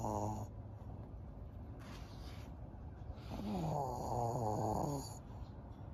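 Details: Maria, a 12-year-old fawn female senior pug kept as a pet in Japan, recorded in May 2023: a short rasping snore opens, then after a quiet gap a longer rattling, buzzy snore with pulsing overtones runs for about two seconds.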